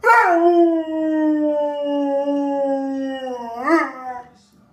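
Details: A Rottweiler "sings" along to familiar melodies or jingles, giving a long, steady howl that slides slowly downward and ends with a brief upward yelp.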